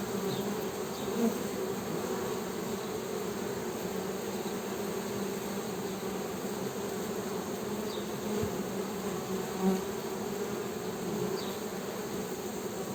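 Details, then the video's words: Even, sustained honey bee humming, a low buzzing drone with a higher overtone, nearly unchanging in loudness, with a few faint soft knocks scattered through. "HONEY BEE'S HUMMING SOUND"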